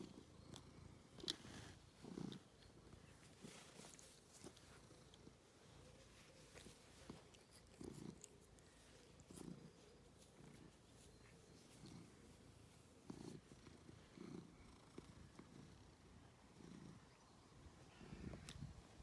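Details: Ovenmitt, a domestic cat nicknamed Lovebug who loves giving and receiving attention, purring contentedly: a soft, low rumble that swells in rhythmic bursts about every second and a half, with occasional light clicks and rustles close by.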